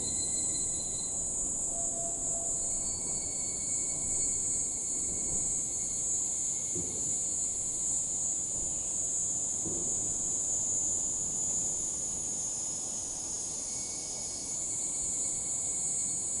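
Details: Higurashi calling in the evening: a sustained, sizzling high-pitched drone with intermittent lighter tonal streaks, a short lower chirp early on, and soft distant rumbling noise below.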